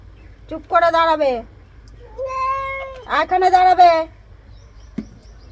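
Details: A domestic cat being given a bath by its owner. It gives three drawn-out, harmonic meows: a falling first cry, a long level middle one, then a rising, wavering wail, followed by a short knock.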